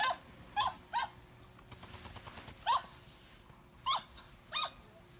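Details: Cavalier King Charles Spaniel whining out of jealousy during play: short, high, nasal yelps with a bent, slightly falling pitch, six of them in irregular pairs, with a brief burst of clicking play noise in the middle.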